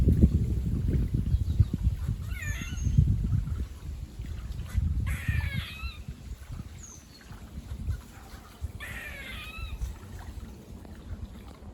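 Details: Near a farm, squirrels bark in three raspy bursts of falling, layered notes. Faint thin whistles sound between them, and low wind noise fades out partway through.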